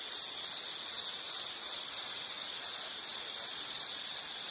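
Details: An insect calling in a nature recording, a shrill, even trill at a constant high pitch, rippling with rapid pulses and only brief dips in loudness.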